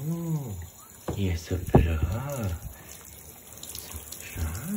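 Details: Siamese cat, addressed as a little boy, being showered after playing in a gravel pit, gives several low, drawn-out wails that rise and fall in smooth arches, over running water and a person speaking Swedish.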